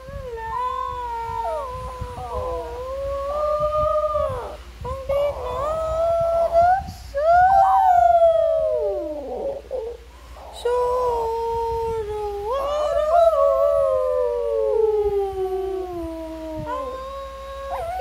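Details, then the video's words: Singing Shih Tzu howling in long, wavering tones that slide up and down, with sustained notes broken by short pauses and a steep falling glide near the middle; no other clear sounds. "Singing shih tzu"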